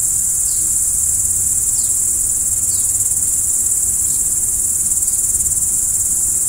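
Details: Steady high, ringing cricket trill at night, with about five soft falling chirps spaced a second or so apart over the constant drone.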